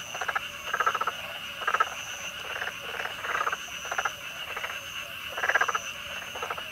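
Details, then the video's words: Black-spotted pond frogs (Pelophylax nigromaculatus) in Korea, calling mostly from the water with two inflated vocal sacs under the jaw, give mid-pitched bursts of rapid, rattling pulses, each under a second, repeated again and again. "[한국_Korea] Pelophylax nigromaculatus Calling_video (참개구리의 울음소리_영상)"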